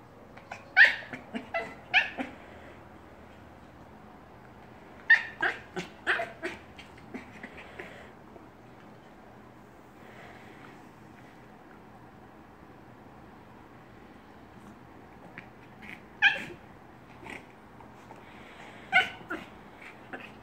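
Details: Silver Yorkshire Terrier, normally quiet, making excited noises while trying to get snacks out of a chew toy; short bursts of high whines and yips in clusters with quiet gaps between them.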